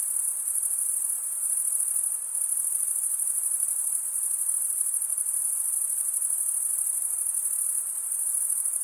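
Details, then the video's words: High, continuous cricket chirping, produced by males scraping wing against serrated wing vein. The trill pulses rapidly and never stops, its loudness barely changing; only a faint hiss lies beneath it. "cricket sound"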